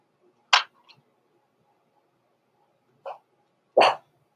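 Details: Blenheim Cavalier King Charles Spaniel puppies, born November 14, 2022, indoors in a puppy pen at Christmas time: three short, sharp barks, one near the start and two close together near the end, with quiet pauses between.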